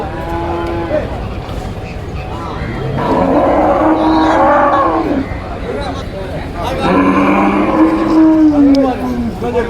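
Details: Buffalo calf sold amid a market rush calls twice: a long, loud, slightly falling moo in the middle, then a second level moo later, with human voices and crowd hubbub throughout.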